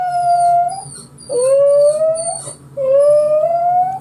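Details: A small dog howls like a mini-wolf after hearing a recording of his own crying; long, clear, rising howls, each held about a second, three in a row with brief breaks.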